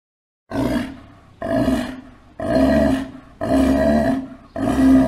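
A sea lion gives a series of harsh, throaty barks, about one each second.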